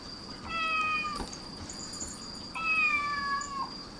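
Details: Cats gathering around the sound of a cat's meowing: two long, steady, slightly falling meows about two seconds apart, each with a clear tonal voice, over a faint background hiss and a constant high whine.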